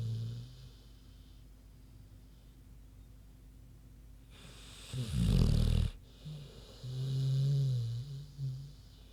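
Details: Snoring from Queenie, a sleeping big pig: long quiet stretch, then a sudden harsh, rattling low snore around five seconds in, followed by a softer, humming breath with small hitches.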